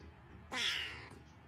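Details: Cat in a Starbucks giving one bright, harmonic meow of about half a second that slides downward at the end, over a faint low background hum.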